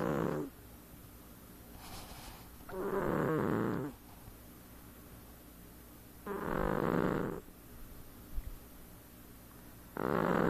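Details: A sleeping domestic cat snoring, its owner noting no earlier cat ever did so: rough, buzzy breaths about a second long with low harmonics, spaced roughly three seconds apart, quiet room between them.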